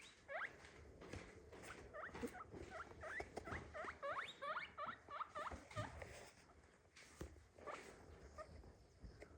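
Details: A pet guinea pig (Cavia porcellus) gives a quick series of short, squeaky, sweeping calls.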